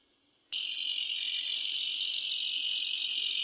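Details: At night, a Malaysian bush cricket breaks into an intense, steady, hissing buzz after half a second of quiet; the shrill trill stays high and unbroken to the end, with nothing else audible.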